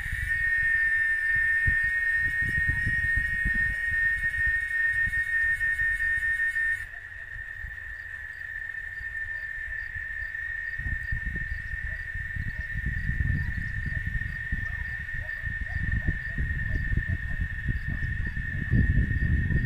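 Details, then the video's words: Oaxaca chicharra, a cicada, droning a loud steady whine at one pitch for the whole stretch; its upper overtones drop away after about seven seconds, and gusty low rumbling noise runs underneath. "Canto de la Chicharra Oaxaca"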